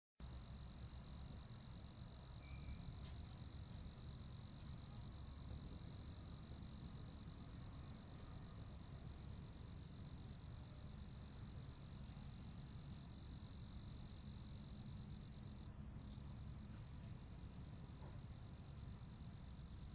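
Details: Crickets chirping as a steady, unbroken high-pitched trill held at one pitch, with a fainter second band above it, over a strong low rumble of background noise.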